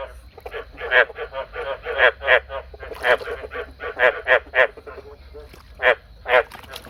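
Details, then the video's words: Male frog giving bursts of raspy, pulsed croaks in uneven runs with short pauses between groups. A low background hum is present throughout. "This is the sound of the male frog I bred last night."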